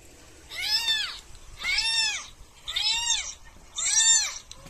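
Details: Domestic cat meowing during a prank: four loud, arched meows with rich harmonics, each rising then falling in pitch, repeated roughly once per second against a quiet indoor background.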